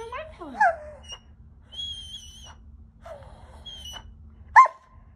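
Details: Ajax, a male Giant Schnauzer mix, acting bratty indoors, gives whiny, sliding vocal sounds that swoop up and down, with a short grumbling note and a sharp yelp near the end, over high whistle-like tones and faint voices.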